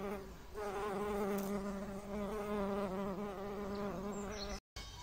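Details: Honey bees pollinating blooming phacelia in a raised garden bed where tomatoes grow among lettuce and mustard; a steady, low, droning buzz with rich overtones, wavering slightly in pitch, broken by a brief gap near the end.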